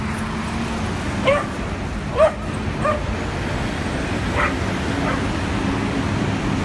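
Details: Two adopted dogs playing at a New York City dog park on their first visit, giving short sharp barks spaced about a second apart over a steady low rumble of city traffic.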